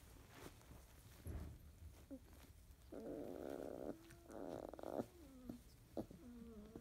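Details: Field-type Labrador Retriever puppies, 31 days old, sleepy in the morning; yellow female Debbie awake while littermates sleep, mouthing a sibling's head. Soft tonal grunts, then sliding high whines and whimpers near the end, with faint rustling indoors.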